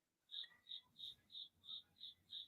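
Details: A loud cricket living inside a house wall, chirping indoors: seven evenly spaced, high, pure chirps, about three per second, steady in pitch and loudness, over a faint low background rumble.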